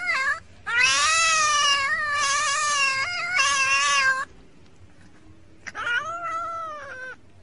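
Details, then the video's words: Cat from a comedy compilation: a short meow, then a loud, long yowl of nearly four seconds with a wobbling pitch, a quiet pause, and one more rising, falling meow. "talkin cat"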